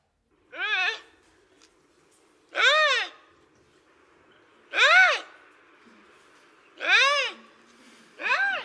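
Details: Eurasian lynx recorded in the Jura, France, giving five loud, harmonic moaning calls, each about half a second, rising then falling, spaced roughly two seconds apart against a quiet background.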